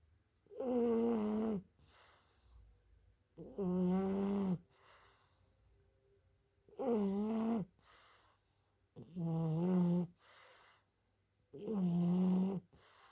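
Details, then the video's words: A French Bulldog snores in its sleep. Five wavering, nasal, droning snores recur about every two and a half seconds. Each has a slight warble, and soft breathing fills the gaps. "Французский бульдог храпит во сне."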